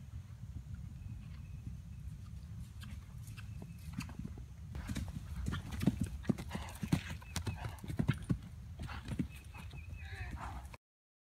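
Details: A 2012 RPSI mare on her fourth ride over fences, 29 March 2016. Dull hoof thuds start about halfway through and grow louder and closer together in an irregular rhythm over a steady low rumble, then cut off abruptly.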